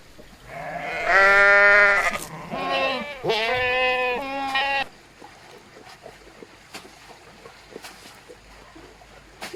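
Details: A sheep on a sheep farm gives two or three loud, wavering bleats, then quiet background follows.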